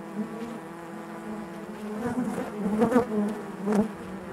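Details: A steady buzzing drone from honey bees inside the hive, growing louder toward the end with brief crackling bursts and wavering overtones.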